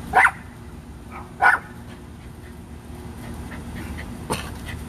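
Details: Rat Terrier siblings Bandit and Jewel at play in a back yard: two short, sharp barks about a second and a quarter apart, over a steady low outdoor rumble.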